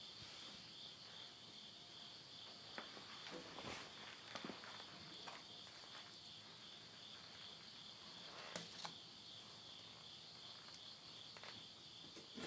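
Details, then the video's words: Insects at midnight in the Japanese countryside of Yurihama, Tottori, in September 2020 at summer's end. A steady high shrill trill runs throughout, broken by sharp crackles of burning wood in a stove. "the voice of insects"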